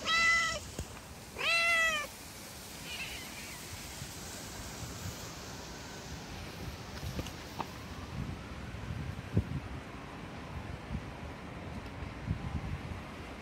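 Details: Street cats, a hungry mother with her kittens; two loud tonal meows in quick succession open the recording, each bending down at the end, then a long stretch of low outdoor background noise with occasional faint clicks and taps.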